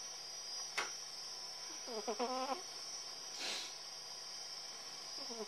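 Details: Sleeping female cat Tillè gives one short, buzzy snore made of a few rapid pulses, with a sharp click before it, a brief rush of noise after, and the start of a second snore at the end.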